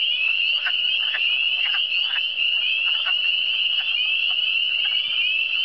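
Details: Frog chorus from the Eastern Townships (cantons de l'Est): a continuous shrill trilling hum overlaid by repeated short, rough croaks about every half second, many callers together.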